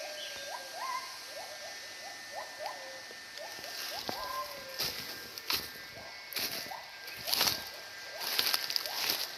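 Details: At least five or six wild gibbons calling in the forest, each with its own voice, heard but not seen; overlapping upward-swooping whoops follow one another rapidly, with occasional longer rising notes, set against loud buzzing insects and rustling steps.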